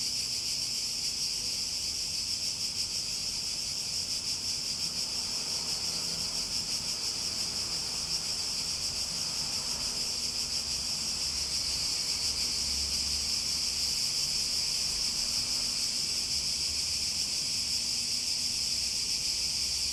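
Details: Cicada. A chorus of cicadas produces a continuous, shrill buzz, strongest in a bright high band and holding level throughout. The sound swells slightly partway through but stays an unbroken wall of insect noise.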